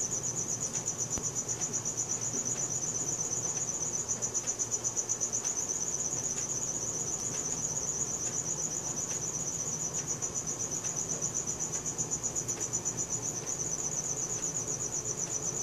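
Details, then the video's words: Night-time cricket, captured with a Samsung Galaxy S4, keeps up an unbroken shrill pulsing chirp at roughly four beats a second, with soft clicks and a low rumble underneath. "CRICKET SOUNDS | RELAXING SOUNDS OF NATURE AT NIGHT"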